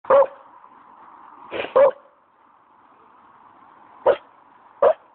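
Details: Staffordshire Bull Terrier in a dog park, barking for the first time in his life, frightened by a plastic chair: short sharp woofs, a single, a quick double, then two more spaced apart, over a faint steady hum.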